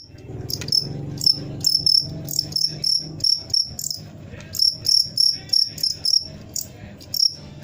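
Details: Cricket chirping loudly at close range, bright high pulsed chirps in irregular bursts, several per second with short pauses, over a faint low background murmur.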